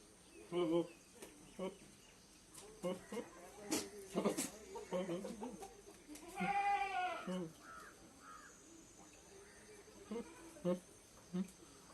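A goat gives a series of short, nasal bleats and one long, wavering bleat, with human voices nearby.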